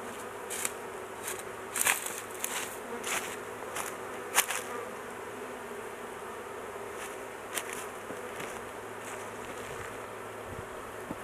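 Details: Honey bees humming at a large hive being worked, the queen confined in a cage for safety; constant buzzing overlaid by frequent irregular crisp clicks and crackles from handling.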